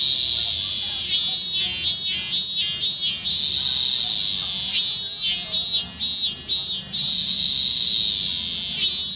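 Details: Robust cicada (minmin cicada) filmed in Kanagawa Prefecture, Japan, on 25 August 2010, still singing into autumn; loud, continuous high buzzing drone broken by bursts of pulsed, throbbing 'min-min' notes, with a brief pause near the start.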